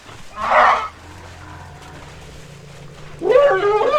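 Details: Struggling baby elephant receiving help from its mother: two loud, harsh, wavering screams, the first short burst near the start and a longer, rising-then-falling cry at the end, with a low steady hum between them.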